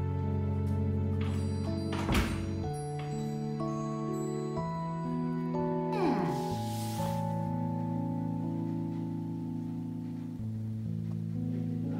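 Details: Instrumental music with sustained tonal notes and shifting chords, a sweeping glide near the middle, and no animal voice.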